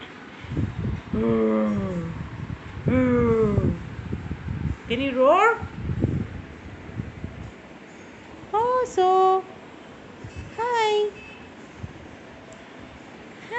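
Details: Very young Siberian Husky puppy named Oso gives five drawn-out, wavering howl-like whines. Each rises and then falls in pitch, with a few seconds between calls. A person talks and coaxes him between the calls.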